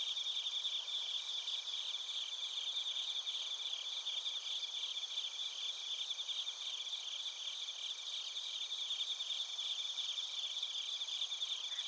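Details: Chorus of bell crickets and crickets in Narita, Chiba, Japan, captured with a TASCAM Portacapture X8; continuous high-pitched pulsing chirps layered into a steady shimmering wall of insect song, with no other sounds.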